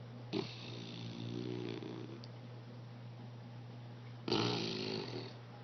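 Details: An English Bulldog snoring while asleep indoors: two long, rasping inhaled snores with a buzzy, harmonic rattle, about four seconds apart, over a steady low electrical hum.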